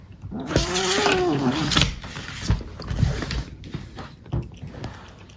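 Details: Male pet cat making a funny noise while being brushed indoors: one wavering, moaning yowl that rises and falls over about a second, followed by scratchy rustling of the brush.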